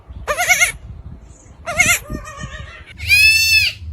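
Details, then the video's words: Goats screaming in loud, human-like, high-pitched cries, three drawn-out wavering screams with a quivering vibrato and bright harmonics, each under a second long, separated by short gaps, with faint low background rumble. "Is that a Human or a Goat? Hilarious Screams Compilation!"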